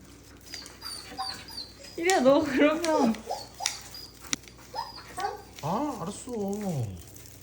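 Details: Jindo named Ire eating a meat cake of salmon, beef and chicken on her third rescue anniversary; high wavering whines and yelps rise and fall in bursts, mixed with a woman's voice talking over them.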